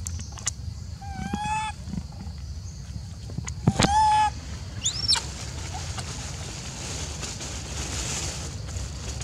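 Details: Macaque, apparently jealous and upset while an old female is being fed: two tonal, level coos with rich harmonics, then a sharp, high, rising-and-falling squeal, over a low steady background rumble.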